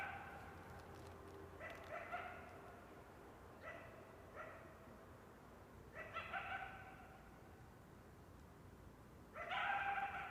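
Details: Coyote (Canis latrans), barks and yips.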